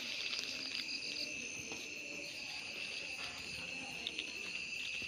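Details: Crickets calling outdoors during a hand hunt for them: a continuous shrill, high trill held steady from start to finish, with a fainter, even higher band above it and light rustling underneath.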